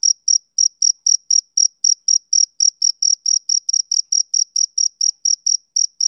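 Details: Male cricket calling on a summer evening, a rapid, regular series of shrill high-pitched chirps nearly four per second, strong and uninterrupted, no background noise.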